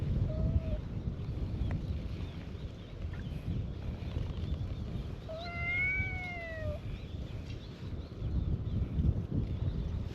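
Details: Cats gathered on a cat island greet a visitor: one brief meow at the start, then a long, clear, slightly arching meow around six seconds, with constant low outdoor rumble throughout.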